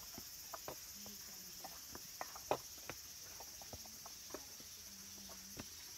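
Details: Late-summer cicada chorus in the wooded hills around Kabusanji temple, Takatsuki, Japan: an unbroken high, even buzz runs beneath scattered sharp ticks and clicks.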